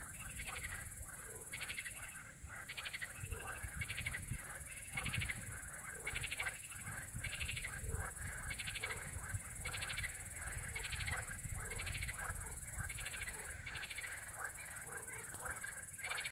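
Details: Frog calling at night, short pulsed notes repeated about once every second in a steady rhythm, with a continuous high buzz droning behind throughout.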